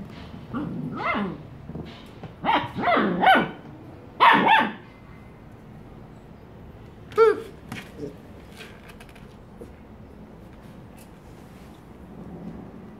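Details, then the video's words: Black Labrador Retriever foster puppies from the SD Humane Society at play at work: a run of sharp, high yapping barks in quick clusters over the first five seconds, one more bark later, then quiet shuffling. "Black Lab Puppies Playing at Work"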